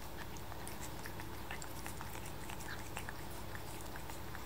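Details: Seven-month-old kitten Luca laps at paste with quick, moist ticking licks a little over once a second, irregular in spacing, and a constant low background hum beneath.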